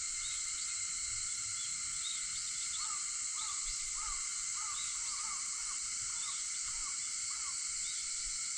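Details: Cicadas at 4:50 on an August 4 morning, their dense steady high-pitched buzzing chorus unbroken throughout. After about three seconds it is joined by roughly ten short, arched chirps repeated at intervals of about half a second.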